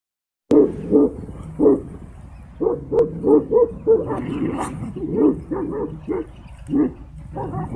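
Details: Tibetan Mastiff in a fight with a wolf; rough, deep barks in irregular bursts, several in quick succession, with snarling between.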